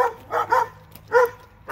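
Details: Barking from one of two dogs in Alabama: three short, harmonic barks, the first two close together and a third after a pause, with a quiet low hum underneath.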